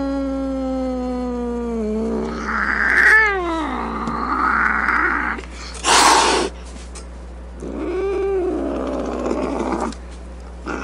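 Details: Angry domestic cat: a falling moan breaks into rough snarling yowls, then a short sharp hiss around six seconds, followed by another rising-and-falling growly wail.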